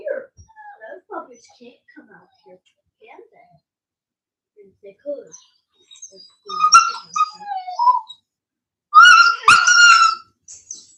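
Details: Cane Corso, the Italian Mastiff, from a breeder's pack west of Nashville, Tennessee: soft murmuring voices at first, then high, thin whimpers with bright harmonics in short bursts near the end.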